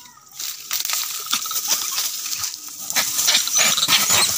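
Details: Angry monkeys fighting: harsh, noisy screeches and squeals come in rapid, irregular bursts and grow louder toward the end, over a steady high hiss.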